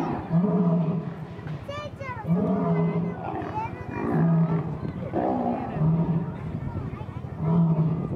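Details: Lions at a zoo snarl and roar in deep, rasping bursts every couple of seconds while fighting over females, with people's voices audible in the background.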